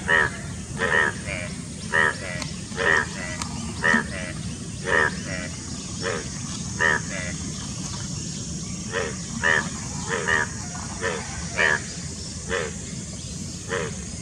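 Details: Indian bullfrogs (Hoplobatrachus tigerinus) near Dombivali, Thane, Maharashtra, on 9 June 2018 give short, harsh croaks in quick, uneven succession. This is a courtship and mating chorus, with males calling through two subgular vocal sacs, over low rumbling noise.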